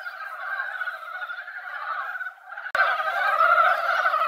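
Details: Mountain frogs gathered at a quiet mountain pond after a light rain, singing in a dense, continuous chorus of rapid overlapping croaks. A brief break near the end, then the chorus resumes louder and fuller.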